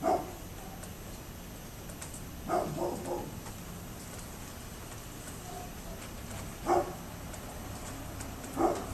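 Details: Neighbour's dog, 27 October 2011, giving scattered barks: one at the start, a double bark, then two more several seconds apart, with long quiet stretches of background hiss between.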